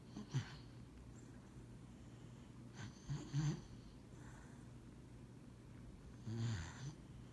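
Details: Sleeping dog Lucybelle napping on a lap, giving short snorting snores roughly every three seconds, each a brief rough low puff with a breathy hiss, against a constant low indoor hum.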